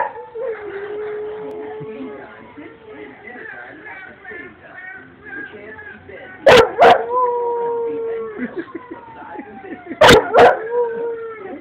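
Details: Dog howling at an iPhone: long, wavering, tonal howls that slowly slide downward, sustained for many seconds. Two pairs of sharp, loud bursts break in partway through.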